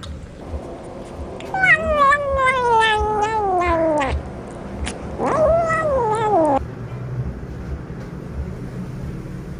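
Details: A hungry cat eats fish by itself, not sharing with its mother, and gives two long, moaning caterwauls. Each one falls steadily in pitch, the first lasting about two and a half seconds and the second shorter, in a quiet room.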